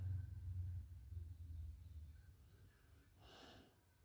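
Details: Miss Sugar, an American Bulldog, at Easter 2025: low rumbling snorts and heavy breathing in the first seconds, fading into quieter breaths, with a brief brighter hiss near the end.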